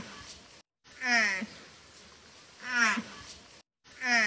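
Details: Mother water buffalo calling to find her calf, two full half-second nasal moans with a small upward catch at the end plus the start of a third, separated by quiet stretches.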